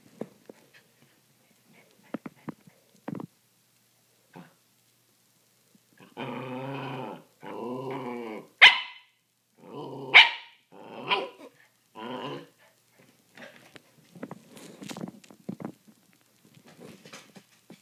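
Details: Puppies Holly and Sophie wrestling indoors in a rough play fight; a sustained rumbling growl breaks into sharp high barks and snarls around the middle, then softer scuffles and thumps trail off.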